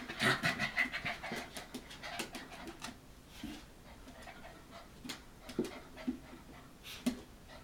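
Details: Soft, fairly quiet panting from Hokkaido dog puppies aged 65 days, offspring of Hana, 18 February 2011; rapid breaths cluster in the first seconds, then thin out into sparse faint puffs and taps.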